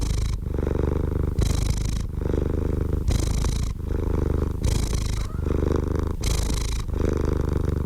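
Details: Loud, close cat purring, a deep vibrating drone pulsing in and out with breathing about once a second, seven regular cycles.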